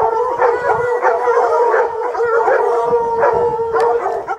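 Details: A pack of hunting hounds has a mountain lion at bay among rocks. Sustained, wavering howls overlap without pause, with fresh surges of baying roughly every second.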